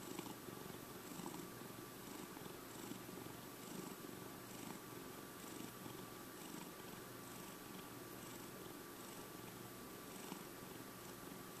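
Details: Steady low purring from Checkers, a five-year-old pet cat, an even rumbling drone with gentle rhythmic breaths about every half second and a thin constant hum in the background.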